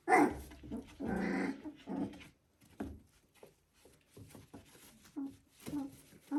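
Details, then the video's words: Border Collie puppies, three weeks old, indoors: two loud broadband squeals in the first two seconds, then quieter scattered whimpers and soft growly sounds with gaps of near silence. "Border Collie Puppies "S2" 3 weeks/Sounds"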